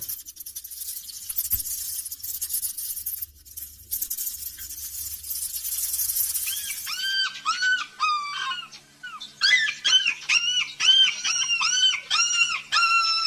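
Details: Kitten calling for its mother: after seven seconds of broadband hiss, a rapid run of high, arched, harmonic mews, repeated about twice a second in uneven bursts and growing louder toward the end.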